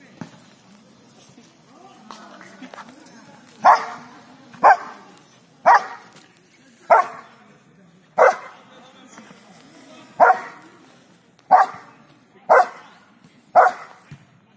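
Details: Belgian Malinois named Casper, excited during a tyre exercise, gives sharp loud barks, about ten in a row roughly once a second after a short quiet lead-in, with faint voices behind.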